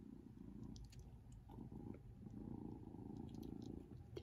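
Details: Persian kittens at play indoors, with an adult cat nearby; a low continuous rumbling purr runs throughout, with faint clicks and a soft voice in the background.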